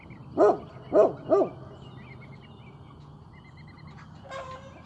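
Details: A Great Pyrenees on guard duty gives three quick booming barks in a row, then falls quiet while small birds chirp and a low hum continues in the background.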